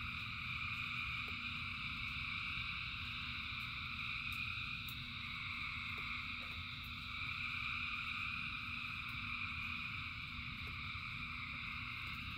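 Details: Thousands of frogs singing in rain: a dense, unbroken chorus of overlapping high trills in steady layered bands, with a low rumbling wash beneath and scattered brief clicks or drips.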